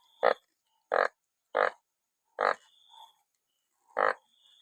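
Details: Banded bullfrogs caught in large numbers after rain give loud, short, nasal bleating croaks, five of them spaced roughly every second, with a faint thin high whine between calls.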